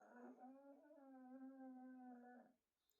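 A pug gives a sustained, nasal snore lasting over two seconds, steady in pitch with a reedy, humming tone. It rises slightly at the start and cuts off abruptly at the end of the breath.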